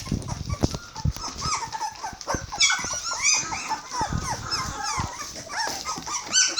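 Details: Hungry Border Collie puppies, 21 days old, several calling at once with high squeaky whines and yelps, overlapping rising and falling cries with scattered knocks and bumps.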